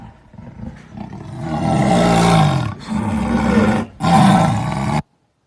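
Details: Jaguar growl building from a quiet rumble into three loud, deep, rasping roars separated by brief gaps, the last cut off sharply into silence.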